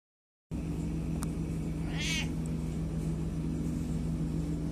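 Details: A ragged old deaf male cat at a bakery in the village of Lacock gives one short, hoarse, croaking meow over a steady low mechanical hum; he meowed with every breath at first but went quiet once recording started.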